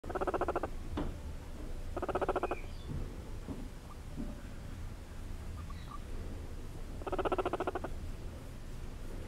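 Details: Two seven-week-old guinea pig sisters purr while being petted, giving excited, short, buzzing bursts of rapid vibrating pulses, each under a second long.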